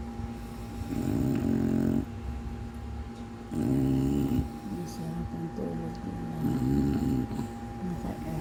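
An English bulldog snores loudly in long, rumbling, rasping breaths, strikingly humanlike.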